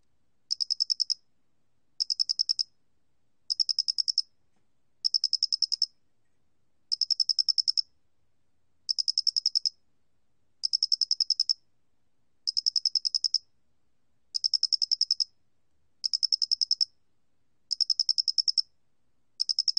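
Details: Doenitz's flat-faced cricket, recorded by the National Institute of Biological Resources in 2020, gives steady series of short high trills, each under a second of fast clicking pulses, repeating about every 1.3 seconds against silence.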